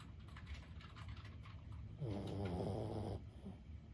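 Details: Lulu, a 15-year-old senior Boston Terrier asleep indoors, gives one long, rattling, low snore lasting about a second amid a quiet room hum.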